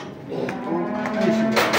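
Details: One of 65 calves sold from Kars to Mardin, Turkey, gives a single drawn-out, steady moo lasting about a second. Banging and rustling rise toward the end.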